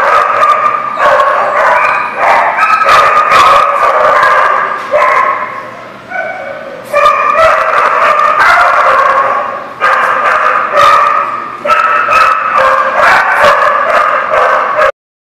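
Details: Dogs recorded 2/11/19 keep up a chorus of barks and yelping cries, in several long loud runs separated by brief dips, voices overlapping so no single bark stands alone, ending abruptly in silence.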